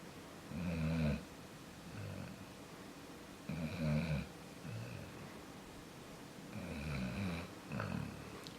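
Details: Deep snoring from Jaxson the sleeping dog, loud rumbling inhales each followed by a softer exhale, the pairs repeating about every three seconds in a quiet room.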